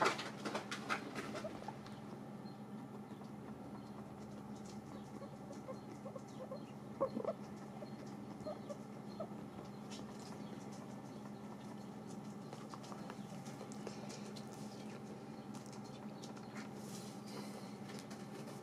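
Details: Several pet guinea pigs eating dried apples, recorded close up: soft, dry crunching and nibbling clicks come in short bursts near the start, around seven seconds and again toward the end, over a steady low background hum.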